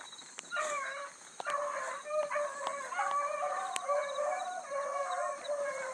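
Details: Bluetick coonhounds, including a new pup, running a big rabbit early in the morning on a hunt. Several hounds give overlapping, drawn-out bawling bays at mid pitch, many voices layered almost continuously, with faint insect hum in the background.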